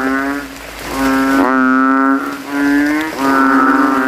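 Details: Competing male banded bullfrogs calling loudly from a rainwater puddle at night in a cemetery; sustained, deep, vibrating drones of one to two seconds, overlapping with neighbouring callers.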